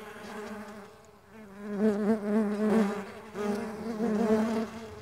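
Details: Buzzing of flying Mandaçaia stingless bees: a low, harmonic-rich drone that dips quietly around one second, then grows louder and wavering as bees approach and circle.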